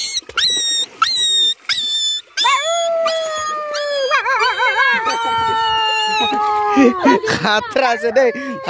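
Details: Dog yelping, then drawing out sustained howls that waver up and down in pitch. The howls run over one another almost continuously and end in a few rough, broken cries.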